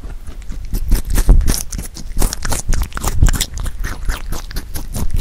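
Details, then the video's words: Korean melon eaten by a pet rabbit named Huchu. Loud, close, scraping crunches come in uneven clusters, with brief pauses between mouthfuls. "토끼 후추의 참외 먹방 ASMR / Rabbit eating sound with Korean Melon"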